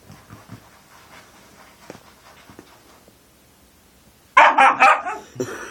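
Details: Husky puppy at play with his dad: after a quiet stretch of faint snuffling and pattering, a sudden run of loud, rough, harmonic barks and yelps bursts out in the final second and a half.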